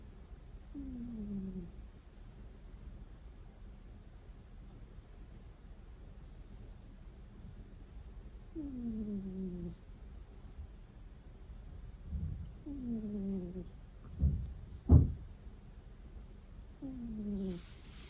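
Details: Sleeping pet cat at home snoring with soft, whining 'kuu' notes, each a short falling squeak; four come at irregular gaps of several seconds, with a few dull thumps between the last ones.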